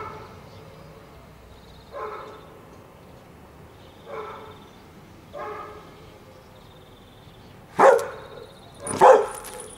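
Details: A five-year-old German Shepherd named Anita, recorded in 2008, gives soft, spaced barks and then two louder, sharper barks.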